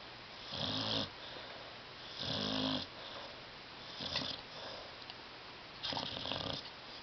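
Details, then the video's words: Loud snoring from a dog sleeping on a love seat: four rough, rattling snores about every one and a half to two seconds, each with a low vibrating rumble and a breathy hiss, in a quiet room. "DOG SNORING"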